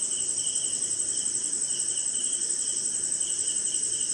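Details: Rainy-night crickets recorded somewhere in India, producing a dense, steady high-pitched ringing with fast rhythmic pulsing and a lower chirping trill in repeated short bouts, rain hissing softly behind.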